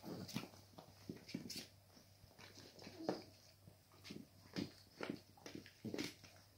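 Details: Cavalier King Charles Spaniel puppies playing with their mother give short squeaky yips and whimpers in quick irregular bursts.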